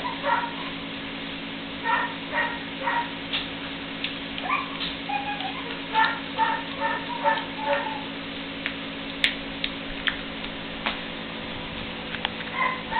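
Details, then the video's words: Three-week-old puppies playing together for the first time, giving many short high squeaky yips in loose irregular runs, fairly soft, over a steady low electrical hum. "Puppies playing"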